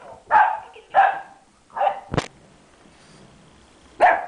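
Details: Ziggy, an 11-week-old boxer puppy playing with a red ball, gives a few spaced high puppy barks, with a sharp knock or thump midway and quiet between.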